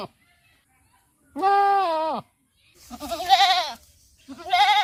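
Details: A goat gives a steady, drawn-out bleat, then two shorter, shakier, tremulous bleats in quick succession within a few seconds.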